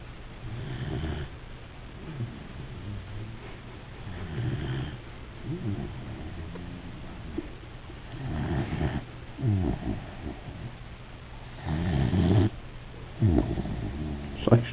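A sleeping Weimaraner snores in low, rumbling breaths that swell and fade in a slow rhythm.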